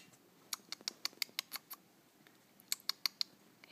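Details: Flying squirrel caught in a trap by wildlife technicians in Alpharetta, Georgia, indoors: sharp, high, clicking chirps in two quick bursts of about eight and five, with a short pause between, in an otherwise quiet room.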